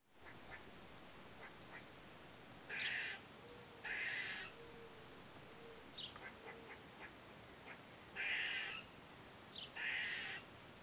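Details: Gray squirrel recorded with a Nikon D3500 camera: faint, raspy, harsh bark-like bursts about half a second long, coming in pairs, separated by soft ticks and squeaky notes, against quiet background hiss.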